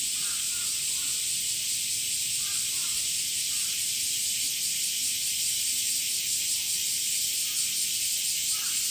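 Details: Male cicadas in summer, sound amplified by a mostly hollow abdomen: a continuous high-pitched sizzling drone with a slight rapid pulsing texture, plus faint short chirps scattered underneath.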